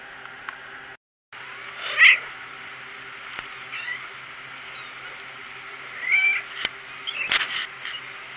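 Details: Four-week-old kittens mewing indoors: a high, thin mew near two seconds, then a brighter run of squeaky mews around six to seven seconds, with a low steady hum underneath and a brief dropout early on.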